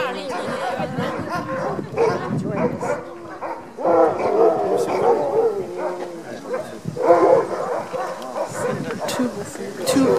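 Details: Sled dogs, Alaskan huskies, at the Denali National Park sled demo in Alaska, keen to be harnessed; bursts of high, wavering yelps and barks from several dogs come in waves between stretches of human chatter.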